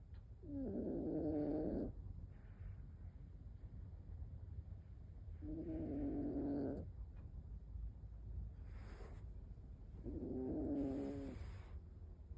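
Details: An 18-year-and-3-month-old toy poodle napping while home alone; three slow snores about every four to five seconds, each a rasping, buzzy breath lasting over a second, with quiet room hiss between.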